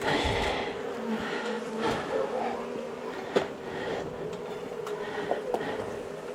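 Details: Honey bees from a long-established colony in the wall of a house, angry after dark during a rescue cutout on March 6; a steady, droning buzz hum throughout, with scattered clicks and knocks.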